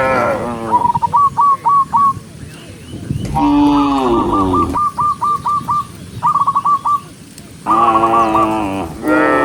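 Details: Dozens of cattle being herded along a forest road on a farm give long, rich moos, with quick trains of short, bright piping notes between them.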